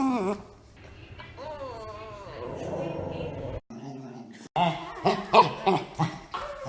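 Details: Pet dogs making weird noises: a brief whine, then a wavering, warbling whine lasting about a second, low rumbly growling, and a burst of short, uneven yips and grunts near the end, indoors.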